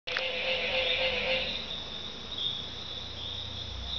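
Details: Tree frogs calling all night long at Barra de Navidad, Mexico: a dense, shrill trilling chorus held steadily, with a lower buzzing layer fading after the first seconds.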